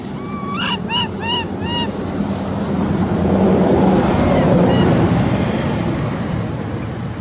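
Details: Calling Amari for help, the monkey Lori, unable to use her legs, tries to get up a tree beside other baby monkeys. A quick burst of four or five rhythmic, arched harmonic cries opens, followed by a low roaring background.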